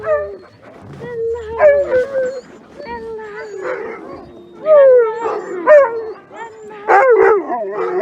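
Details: Alaskan Malamute sled dogs in freezing -30 degrees C winter weather in Larose Forest, Ontario, Canada, before a run: a dense chorus of overlapping yips, yelps and short wavering howls from several dogs, rising in bursts.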